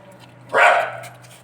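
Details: Rich-coloured Golden Retriever puppy at Sodpur, Kolkata, giving a single short, harsh bark that swells quickly and fades within half a second over a steady low hum.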